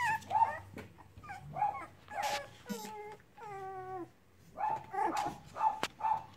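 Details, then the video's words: Cavalier King Charles Spaniel puppies playing together give repeated high whimpers and yips, including a drawn-out falling whine in the middle, then quick short yelps at the end. "Cavalier puppies playing"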